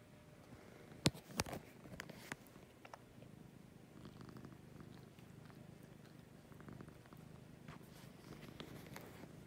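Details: Lucy, a pet cat, purring in the morning: a low, steady rumbling purr in soft breathing cycles, with a few sharp clicks and knocks near the start.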